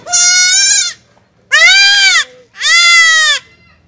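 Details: Goat kid undergoing castration gives three long, wavering, strongly harmonic bleats of about a second each, evenly spaced with brief pauses between them.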